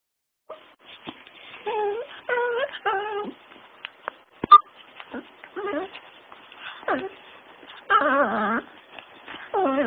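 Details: Tiny puppy, a male dog, making his special noise while playing a pouncing game at a person's feet, pouncing like a cat; short high whiny yips and whimpers in irregular bursts, some wavering, with quiet gaps between.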